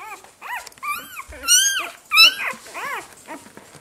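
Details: Five-day-old Saluki puppies squeaking and whining indoors: a run of high, arched, harmonic squeals, some rising then falling, with two louder, sharper cries near the middle and softer whimpers around them.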